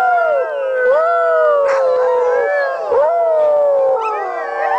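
A chorus of sled dogs howls, long wavering voices overlapping and sliding up and down together.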